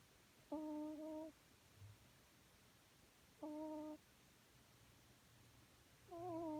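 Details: Aurora, a pet cat dozing on a sofa, snores in gentle tonal hums, three breaths about three seconds apart, each a steady low whistled note with overtones, the last wavering slightly; faint low rumble between breaths indoors.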